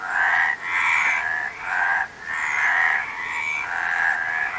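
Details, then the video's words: Frog croaking in loud, rasping, pulsed bursts, each about a second long, four calls in quick succession separated by brief gaps; no other sounds stand out. "Frog Sound"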